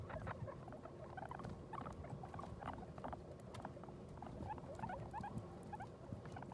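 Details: Guinea pig that has just given birth to New Year's babies: many faint, short chirping squeaks scattered through the recording over a steady low rustling and patter.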